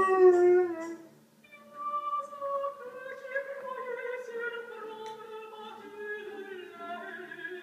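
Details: Madigan, a female Northern Inuit dog kept as a pet, howls along to the opera aria Habanera; long drawn-out howls slide slowly and drift downward in pitch, over soft music with a brief clear tone at the start.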